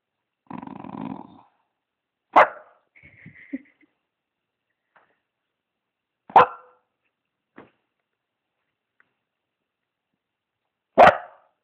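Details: Sharp, isolated single barks come from a female British bulldog wanting attention indoors, spaced several seconds apart with quiet gaps and a brief low rumble between.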